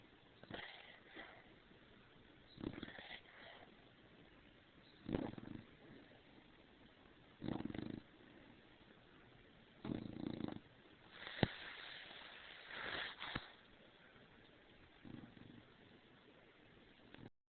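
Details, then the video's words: An overheated female dog, Stargazer Lily Rose, snores and snorts with her head poked out from under the covers. Uneven bursts of noisy, rasping breath arrive every two to three seconds, some short and sniffly, others longer and hoarse. "Stargazer Lily Rose Do Snore"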